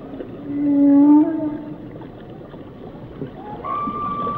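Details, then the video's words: Whale song with a loud sustained mid-pitched tonal moan, followed by quieter higher held tones, set against a continuous watery background hiss. "Song of the Whales"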